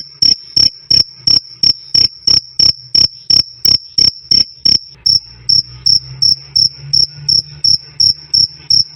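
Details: Shrill cricket chirps, 'krik krik', loud and clear, as a songbird tutor sound: rapid regular high pulses, slightly softer and accompanied by a low hum during the second half.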